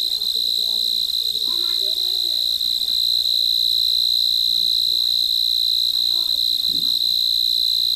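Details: Crickets at night chirp in a steady, high-pitched trill that never pauses.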